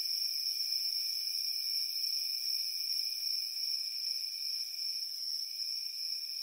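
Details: Crickets chirping on a warm summer evening, a dense, unbroken shrill trilling layered in several high bands that holds steady throughout with only slight wavering, no other sounds.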